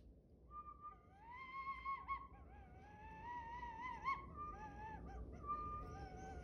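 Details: A Chihuahua singing passionately: a sustained, wavering, howl-like tone that slides up and down, with bright harmonics stacked above it. The phrases run on almost without a break, over a low background hum.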